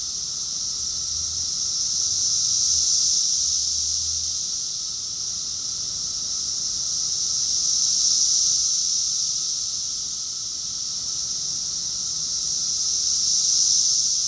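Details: Many cicadas singing together in June 2021 at Rockville, Maryland, USA: an unbroken high-pitched buzzing chorus pulsing in slow swells about every five seconds, with a faint low hum underneath.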